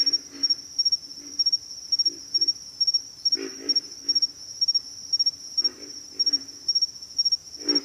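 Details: Chorus of pig frogs giving deep, pig-like grunts, several in rapid runs around the middle and end, set against an unbroken high-pitched insect trill.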